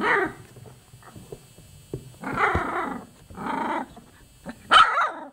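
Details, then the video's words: Chocolate Labrador Retriever puppies, 24 days old, giving several loud squealing whines in separate bursts of about a second each, with quieter gaps and faint background noise between them. "choco labrador - 24 dní stará štěňata"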